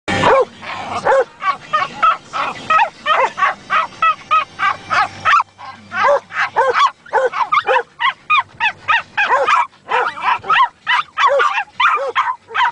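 A Schipperke sings in a run of quick, yelping barks and whiny howls that rise and fall in pitch.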